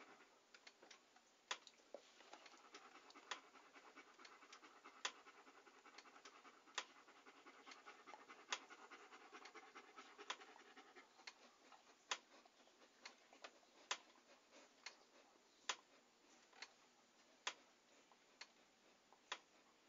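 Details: Breathy, rapid dog panting, strongest in the first half and fading later, while crisp clicks keep repeating at a fairly even pace.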